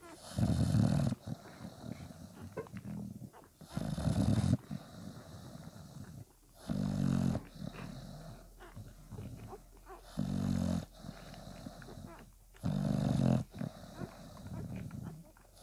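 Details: Bulldog puppies, five days old, kept with nursing mother Spikkels; low, rasping grunts come in short bursts roughly every two seconds, about six strong ones, with soft snorting and breathing between them.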